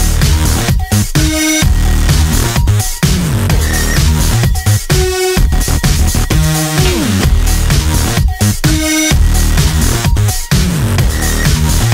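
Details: Electronic dance music with deep thumping bass, synth sweeps and brief breaks plays throughout, with no animal voice heard.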